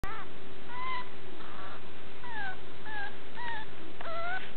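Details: Puppy giving a series of short, thin whining whimpers, some gliding downward and others rising, spaced about half a second to a second apart over a steady low electrical hum.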